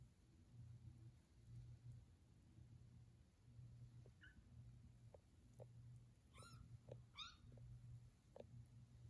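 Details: Foster kittens wandering and discovering a new house indoors; two short, high, thin mews come close together late on, amid scattered soft taps and clicks over a steady low hum.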